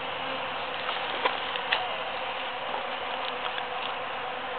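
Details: Foraging bees in huge cactus flowers following the June 22, 2013 Super-Full Moon make a constant buzzing drone, broken by a few faint ticks and taps scattered through it.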